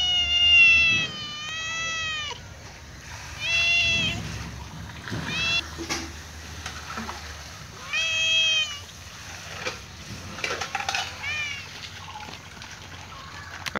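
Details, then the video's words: Hungry cat on a wall meowing for food, repeating loud, harmonic meows roughly every few seconds, some drawn out and falling in pitch, others short and clipped, with faint background clatter and hum. "Cute cat meowing on wall for food"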